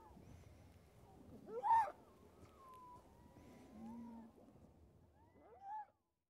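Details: A harp seal pup struggling in a snow storm gives short, wavering, cry-like wails against a low rush of wind.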